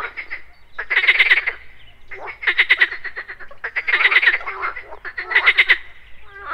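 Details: At a pond in the morning, a frog gives rattling, pulsed croaks in bursts about every second and a half, over a faint steady high hum amid insect sounds.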